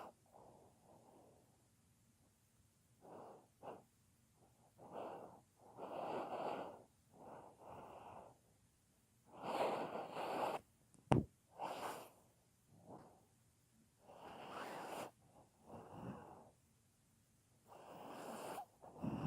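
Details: Pet dog sound asleep, snoring: irregular raspy, wheezy snores rise and fade in uneven bursts, with one sharp click partway through.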